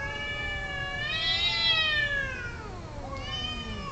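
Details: Mating domestic cats yowling: one drawn-out rising then falling wail swelling loudest mid-way, followed by a second shorter cry, low background hum beneath.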